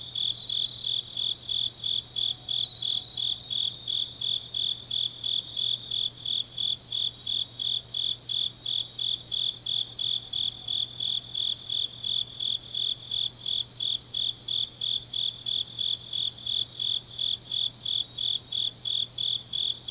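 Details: Grass insects in Changnyeong, Korea, calling through a deep autumn night: rapid, even, high chirps pulsing about three times per second throughout, layered with a dense shimmering insect trill and a quiet low hum beneath.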